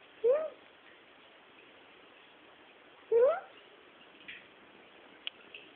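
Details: A female cat rolled up on a sheep-skin carpet gives two short rising meows about three seconds apart, with a quiet background.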